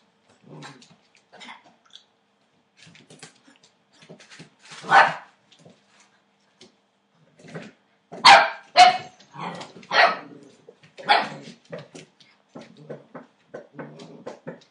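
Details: Eight-week-old Entlebucher Mountain Dog puppies from a litter born 28 December 2013, giving short bursts of barking and yapping with growly undertones, scattered irregularly, louder clusters around the middle, quiet gaps between.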